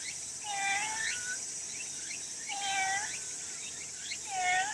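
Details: Stray cat meowing from the grass, three drawn-out, slightly falling meows about every two seconds, with steady high insect buzzing throughout.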